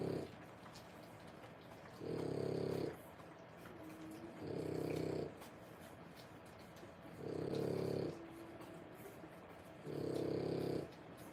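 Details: Three-week-old French Bulldog puppies, born 1/10/25, during whelping: soft, rough snoring breaths about a second long, recurring roughly every two and a half seconds, low and hushed against a faint background hiss.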